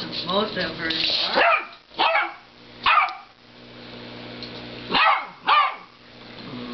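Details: Dog barking at a snoring cow, starting with a rapid whiny yelp, then five punchy barks spaced roughly a second apart, paired near five seconds, over a low hum.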